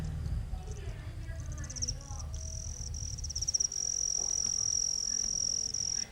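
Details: Cricket, an insect that makes sound with its wings, giving a high, thin, continuous trill that steadies into a sustained tone in the second half, over low rumbling background noise.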